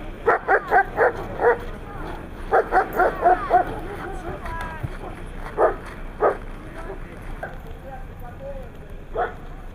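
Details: Siberian Husky barking at competitions in Nizhny Novgorod, 3 February 2017: clusters of three to five quick yaps, then scattered single barks, with some whining yelps between and quiet talk behind.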